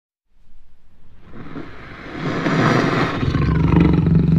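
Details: Jaguar roar that starts as a series of quick pulsed grunts, about four per second, then swells into a loud, deep, rasping roar that stays strong to the end.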